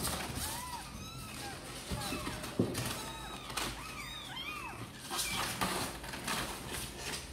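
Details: Sor and Kapov's kittens, wanting out to play, call in a dense chorus of high arched mews that overlap and tumble over one another, some sweeping higher than others, with a sharp knock near the middle and soft background noise.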